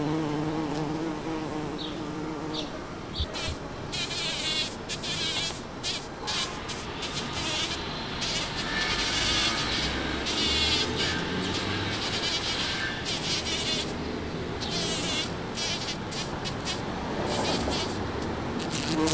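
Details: A bumblebee's deep, droning buzz swells and fades as it moves close by, working a blooming Champlain rose bush in a back yard in Toronto, Ontario, on June 5, 2010.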